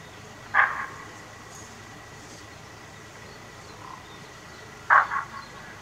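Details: Bushbuck alarm call recorded from a safari tent deck in Kruger National Park: two short, harsh, explosive barks about four seconds apart over a quiet background hum.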